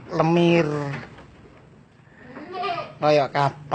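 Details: Purebred Etawah goat of the Senduro type: a wavering nasal bleat lasting almost a second, then after a pause several short, quick, stuttering bleats close together, with faint voices in the background.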